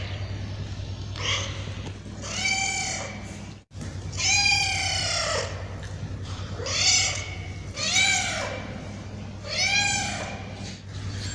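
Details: Hungry male and female street cats crying while waiting for food; about six drawn-out meows, some overlapping, rising and falling in pitch, over a persistent low hum.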